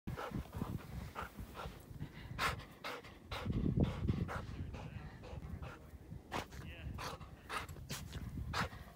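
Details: Black Labrador Retriever, female, hiking through deep snow in Utah for exercise, panting in quick, uneven breaths with crunching footsteps in snow and a brief low voice midway.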